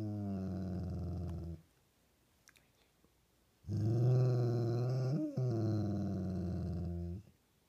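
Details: Dog producing loud, rich growls: a short bout, a pause with faint clicks, then a longer rumbling growl with a brief rise in pitch midway.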